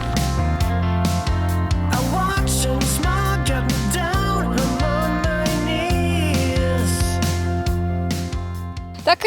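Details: Steady music with a strong bass beat and guitar plays under a voice, with no animal sounds. No animal calls can be picked out anywhere in the clip.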